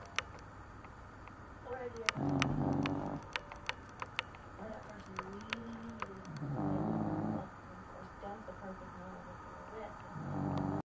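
A Cavalier King Charles Spaniel snores in low, rumbling bursts spaced a few seconds apart.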